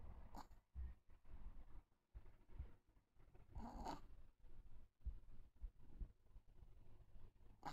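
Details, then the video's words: Jiji, a pet Chihuahua, snores softly in low, rhythmic breathing pulses, with one louder rasping snort just before four seconds; otherwise quiet indoor hum. "チワワ 愛犬 jiji いびき"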